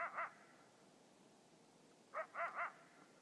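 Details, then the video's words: Coyote calls: a short pair of quick, clear yipping notes, a pause of nearly two seconds, then a run of three similar yips close together, all fairly faint over a quiet background. "Coyote Calls"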